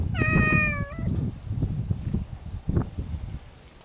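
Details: Spring courtship among feral cats in the mountains: a single drawn-out, slightly falling meow of about one second, then rustling and low-pitched noise with no further calls.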